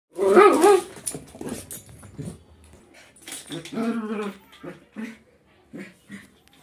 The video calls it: indian spitz dog Tommy Vlog // indian spitz dog barking